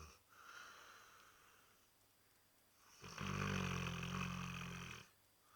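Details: Labrador Retriever snoring: a soft, airy breath at first, then a loud, low, rattling snore that lasts about two seconds before it falls quiet again.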